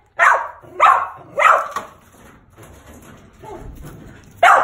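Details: Bob, a male Mountain Feist squirrel dog born 8/18/17, barks loudly in sharp, bright bursts: three quick barks in the first two seconds, softer muffled ones after, then another loud bark at the end.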